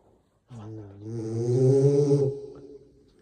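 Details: French Bulldog snoring into a microphone: one long, buzzy, droning snore lasting nearly two seconds, a low rumbling tone that swells in the middle and then fades into soft breathing.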